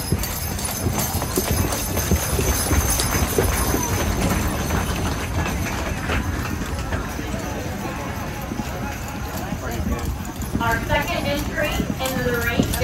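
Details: Belgian draft horse hitches entering the show arena at the Mississippi Valley Fair in Davenport, Iowa, in 2023; steady, uneven clopping of many hooves under a loud crowd hum, with a public-address announcer speaking near the end.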